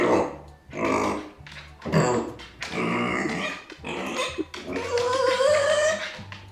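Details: Arya, a pet micro pig left behind by her owners, voicing discontent and anger with loud harsh squeals and grunts, ending in a long rising squeal.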